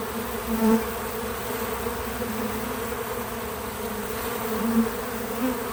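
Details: Bees buzzing around a feeder outside on a small farm: a constant soft drone. Short, stronger whirring passes come early and again near the end as individual bees pass nearby.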